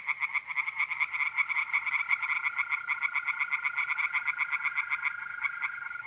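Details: Pond chorus of tree frogs at night, mid April, north-east Italy: fast pulsing croaks repeated several times a second, overlaid from about two seconds by a continuous, even trill of mole crickets.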